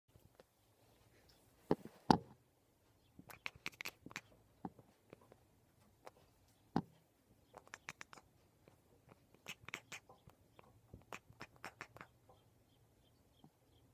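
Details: Cutie Pie, a female pet cat, chattering indoors as she does whenever she sees a bird outside the window: rapid bursts of short clicky ticks in uneven clusters, a few sharper louder clicks, quiet room background.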